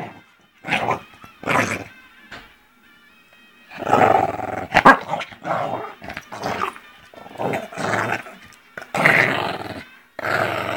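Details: An angry Pekingese attacking his owner snarls and yaps in harsh, broken bursts, with faint music behind.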